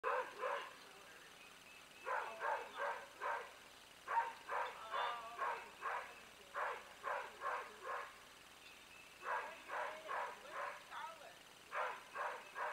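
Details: Big friendly dogs barking in bursts of three to five deep, hoarse woofs, pausing between bouts, steady over a faint background hiss.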